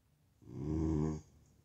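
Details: American Bully reacting to its own reflection: a single low, rumbling growl of just under a second, swelling and then cutting off, in a quiet indoor room with a faint background hum.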